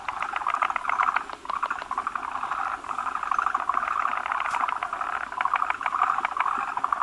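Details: Breeding gathering of forest green tree frogs, numerous males crowding a big female carrying eggs at the spawning spot; bursts of quick rattling, knocking pulses from several callers, pausing briefly between runs.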